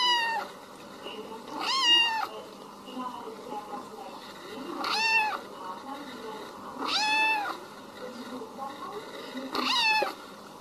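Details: Kitten meowing loudly about every three seconds, each call arching up then down, with soft murmuring voices and quieter mews between the calls.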